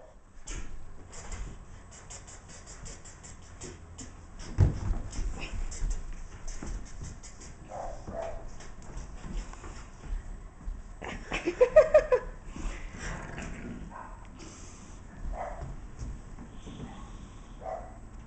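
An English Bulldog snorts and grunts softly, with a brief high whine near the end.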